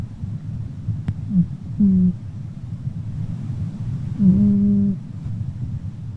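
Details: Red cat named Pinky snoring very loudly while asleep; two low, droning, buzzy snores with faint overtones, about two and a half seconds apart, over a steady low rumble.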